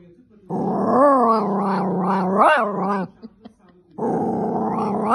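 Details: Poodle dog 'talking' indoors: a drawn-out, wavering, harmonic grumbling howl rising and falling for about two and a half seconds, then a brief pause and a second rougher, noisy vocal burst.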